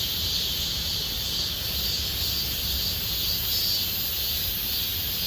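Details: In Gomsol Nuri Forest in the Sihwa area, cicadas fill deep summer with a continuous sizzling whine. The high buzz pulses faintly but never stops, with a low rumble beneath.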